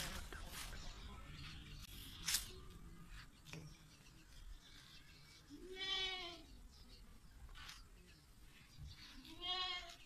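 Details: A big black Beetal breeder buck goat gives two loud, wavering bleats, near six and nine and a half seconds, each arching up then down in pitch, over background clicks, rustling and faint noise.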